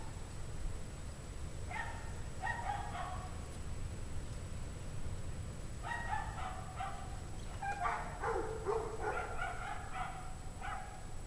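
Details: A pack of dogs barks on a freezing January 9, 2009 evening at 5:00 PM, 17 degrees Fahrenheit, the dogs called obviously unhappy; faint clusters of repeated barks come in three bursts over a steady low rumble.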